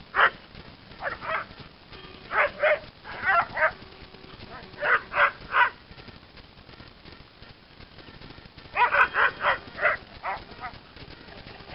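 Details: Airedale Terrier in proactive play, giving short, sharp barks in quick clusters of two to five, about eighteen in all, separated by brief pauses, over a quiet background.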